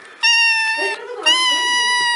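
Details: Domestic cat giving two loud, long, high-pitched meows, each steady and rich in overtones and lasting under a second, separated by a brief softer murmur.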